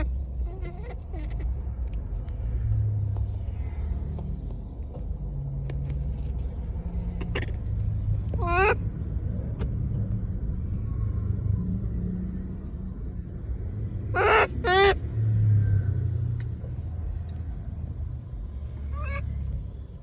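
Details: Calling monkey directing shrill, descending squeals at people, one early call, then a close double cry later and a final short one, while traffic rumble and engine noise fill the background.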